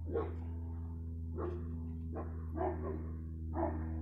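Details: A dog gives short, hoarse, muffled barks about a second apart, some doubled, over a constant low mechanical drone that makes them sound distant; recorded 15 February 2020.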